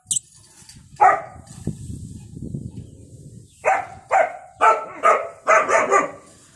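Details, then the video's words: German Shepherd puppy, described as angry, gives a single bark, then after a pause a burst of five or six sharp, fairly high barks in quick succession. "My German Shepherd puppy in angry"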